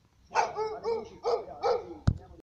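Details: Dog in a back-and-forth argument with its owner gives four drawn-out, vowel-like woo barks in quick succession, each rising and falling, followed by a single sharp knock.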